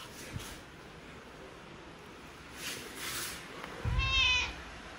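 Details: Mother cat and kittens playing with their owner at home; a single short, harmonic meow near the end rises out of quiet room tone, with a few soft rustles and taps before it.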